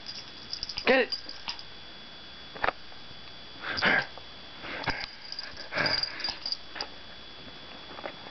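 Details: Izzy, a pet dog, playing and chasing its tail in a small room, lets out short, sharp barks and gruff noises in bursts near one, two and a half, four and six seconds, while a person urges it on.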